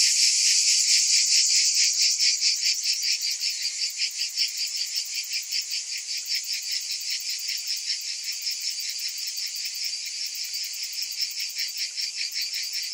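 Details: Summer cicadas singing together, a loud high-pitched buzz that starts strong and settles into steady rapid pulsing, roughly two to three beats each second, without other sounds.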